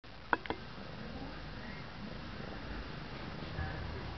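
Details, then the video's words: Charlie, a happy pet cat wearing a cone, purring indoors on 26 January 2007; a steady low rumbling purr runs throughout, with two brief sharp clicks near the start. "Happy cone head Cat"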